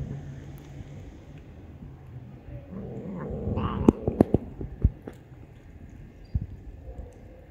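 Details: Loud, cheeky stray cat met on the street gives a short harmonic meow midway. Sharp clicks and taps follow, over a steady low urban rumble.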